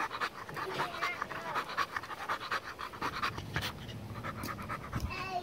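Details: Pit bull panting heavily in rapid, uneven breaths at roughly eighty per minute, with people talking and laughing over it.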